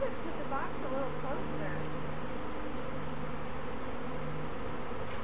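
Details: Swarming honey bees a week after a previous swarm, a continuous low humming buzz from a mass of bees, with brief faint higher sounds over the drone.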